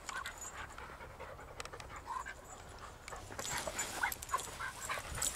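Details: Panting from Ramsey, a shy Patterdale/Lakeland cross out on his first walk and meeting three regular dogs: quick breathy huffs about three per second, growing louder and denser in the second half, with faint outdoor rustle.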